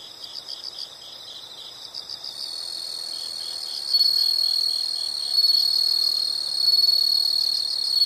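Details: Insects calling in a nature setting: short pulsed chirp bursts give way to a sustained, loud high-pitched trill that swells in waves, with a thin very high whine above.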